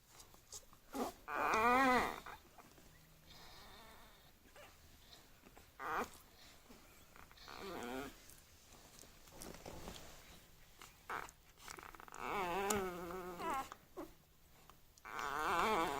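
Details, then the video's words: Six-day-old bulldog puppies whimpering in their sleep while dreaming: short, wavering, high squeaky whines come in scattered bursts a few seconds apart, with soft rustling between them. "Dreaming bulldog puppies"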